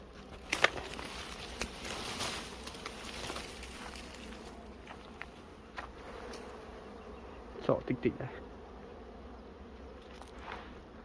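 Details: Bees from a colony found without its queen, a low steady buzz that continues throughout, broken by sharp knocks and thumps, with voices just before and after.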